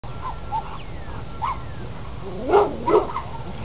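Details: Big Rottweiler running in circles and jumping on a fence, going back and forth: faint, scattered yelps in the first half, then two loud, hoarse barks close together near the end over steady outdoor background noise.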